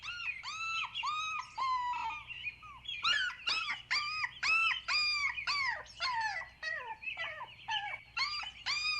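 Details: Playful puppies tussling over toys on green grass let out rapid, high, arched whining yelps that overlap almost continuously, rising and falling in pitch with a steady low hum beneath.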